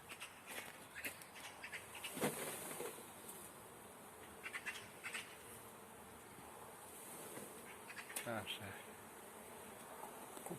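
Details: Honey bees buzzing while beekeepers catch a swarm: a steady broadband hum with sharp clicks and bursts, and quiet Romanian speech in between.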